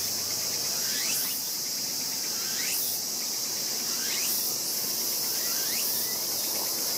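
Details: Raccoon dog pup 輝夢, born this year, recorded 14 August 2012 while its sibling 大夢 bites its tail; short upward-sweeping squeals come every second or so over a steady high insect buzz.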